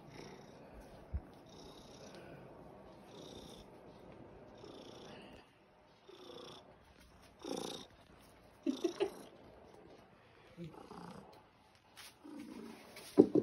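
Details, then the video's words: Pure white fluffy fat pet cat asking for breakfast indoors; soft continuous rhythmic purring with a few brief louder rustles and faint voice sounds. "Cute cat wants his food now"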